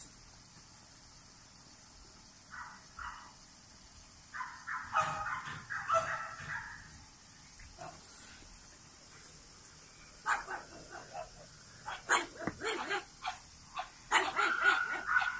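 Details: French Bulldogs born on 21 and 23 June 2017: scattered high, squeaky whines and short yelps, sparse at first, then clustered bursts in the second half, over a steady background hiss.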